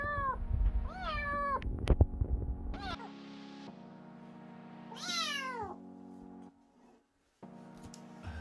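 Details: Very small stray kitten calling at 2:30 a.m. on a minus 4 degree night: several drawn-out, downward-bending meows, one long sharp cry near the middle, set against a constant low hum with brief quiet gaps.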